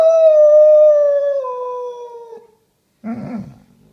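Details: A Basset Hound protesting at home time with a strong, sustained howl that drifts slowly downward for about two and a half seconds, then a brief rough grumble after a pause.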